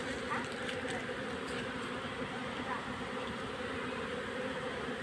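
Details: Continuous low droning of many honey bees as their colony is gathered into a hive box, an even, unbroken hum throughout.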